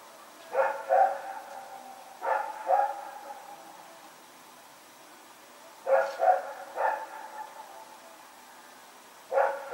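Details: Rex the dog barking while running around at night, September 21, 2018; barks come in doubles and triples with gaps of two to three seconds, a soft hum underneath.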